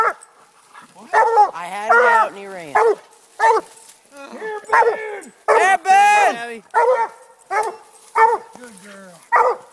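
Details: An 11-month-old female Bluetick Coonhound gives loud, drawn-out barks that bend up and down in pitch, in quick bursts, while treeing a raccoon in February.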